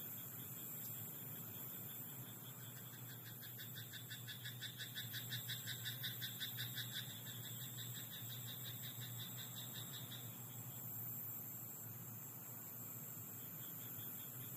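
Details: A frog in a nighttime rice paddy lets out a burst of fast, rattling croaks for around seven seconds, surrounded by quiet hiss and a low hum.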